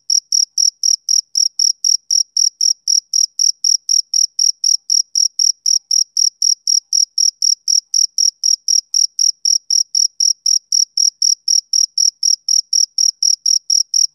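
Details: Male cricket calling on a summer evening, an unbroken train of piercing, evenly timed chirps, roughly four per second, clean with nothing else audible.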